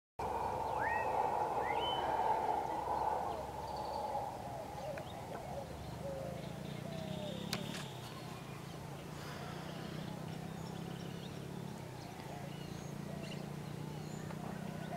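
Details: Howler monkeys roar in a deep, droning chorus, with a few bird chirps early on, recorded at Puerto Potrero, Costa Rica, on February 10, 2015.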